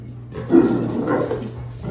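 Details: Great Pyrenees named Pepper, indoors and refusing to play a game of catch, gives one deep, rough bark that swells and trails off, with a low steady hum behind it.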